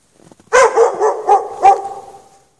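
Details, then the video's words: Chained outdoors in snow at night with no shelter for several hours, a dog barks in a rapid burst of about five harsh, clipped barks within one and a half seconds, then silence. "Dog barking chained out in the snow"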